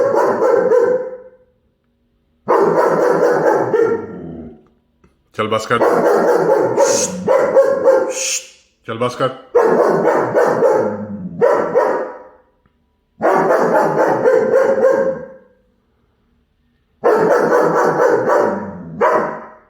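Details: A German Shepherd puppy chasing a squirrel gives repeated bursts of fast, harsh barks, about seven bouts spaced by brief pauses, with a few sharper higher cries mixed in midway.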